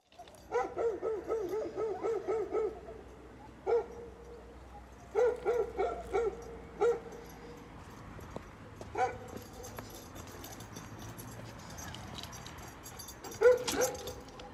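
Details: Happy Belgian Malinois: runs of short whiny yips and barks in quick bursts, pausing between groups, with a final louder yelp near the end; quiet room background.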